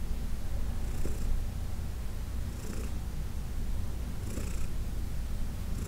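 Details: Heidi, a senior cat from the Humane Society of New York City, purrs as she is massaged; a constant low throbbing hum, with light swishing noises around 1.2, 2.8 and 4.4 seconds.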